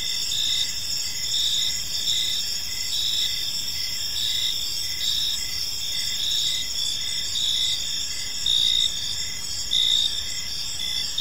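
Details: Crickets serenading a peaceful park in the evening, dense high-pitched chirping chorus with rhythmic pulses near one per second, a few slightly louder bursts, faint low-frequency background rumble throughout.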